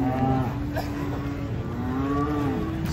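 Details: Cattle unloaded from a truck and agitated; a low, drawn-out moo at the start, then another long, slightly rising moo near the end, with chatter and vehicle hum underneath.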